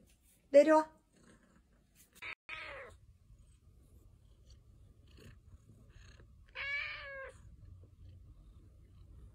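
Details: Domestic cat indoors in a small room giving a few short harmonic meows, one near the start, a brief one mid-clip and a clearer rising-falling meow later, with quiet human voices and low background hum between calls.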